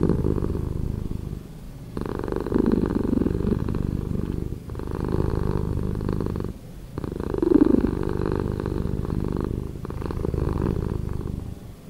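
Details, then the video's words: Purring cat, edited to be slower: a continuous low rumble rising and falling in breath-like waves roughly every two to three seconds, with short near-silent gaps between the swells. "Cat Purring"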